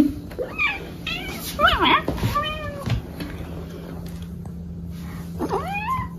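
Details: Domestic cat meowing while being weighed: several drawn-out, arching meows in quick succession early on, then one more near the end, with a person talking over them and a steady low electrical hum underneath.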